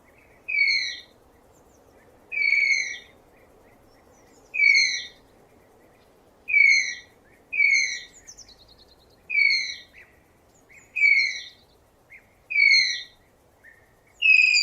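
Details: Tapir sound: a shrill, downward-slurring whistled squeal with bright overtones, repeated in nine separate calls about every one and a half to two seconds over a soft steady background hiss.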